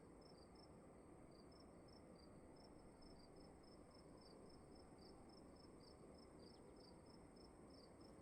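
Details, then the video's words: More than one cricket calling inside a room, high short chirps at two pitches alternating irregularly, soft over a continuous low murmur of background noise. "Sound of emptiness and crickets in the room"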